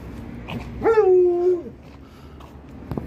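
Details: An Alaskan Malamute named Liza scolds Monti, an Australian Shepherd puppy, over her basketball with one sustained, wavering woo that jumps up, holds level, then falls away; a faint click follows.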